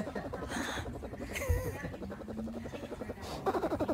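A bear cub purrs with a low, rapid, motorlike pulsing, while people talk nearby.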